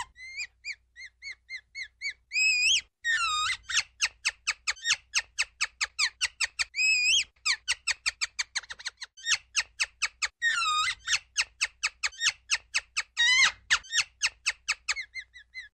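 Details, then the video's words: Ground squirrel repeating piercing chirps at a rapid, regular pace for a long stretch, with several longer wavering whistles breaking up the even series of sharp notes. "КАК КРИЧИТ СУСЛИК, ЗВУКИ СУСЛИКА"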